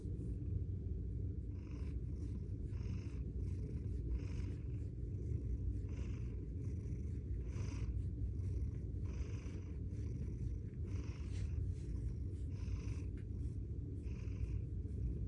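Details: Bengal cat named Suna Bear, one of the girls snuggled in a closet during very cold days, purring steadily in a deep continuous rumble with rhythmic pulses of breathing, no meows heard, quiet room.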